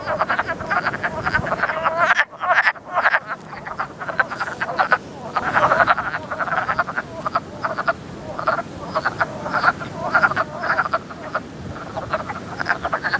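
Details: Wood Frogs calling in early spring at a vernal pool, a dense duck-like quacking chorus of short, clipped, overlapping notes repeated many times a second, with brief quieter gaps and a faint steady background hiss.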